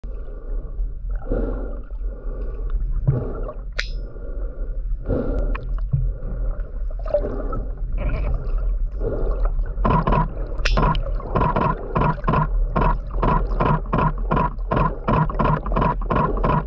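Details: Huge adult male sperm whale underwater, its loud, metallic banging clicks unlike a female's ticking: irregular low thumping bursts at first, then a steady train of sharp broadband clicks roughly twice a second over constant low water rumble.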